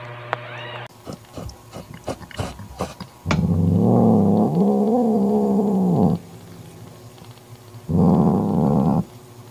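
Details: Mother cat Mocha growling to banish her jealous sister Kofi, who wants to take Mocha's newborn kitten; clicks and knocks open the clip, then a long low harmonic growl lasting about three seconds, and a shorter growl follows after a pause.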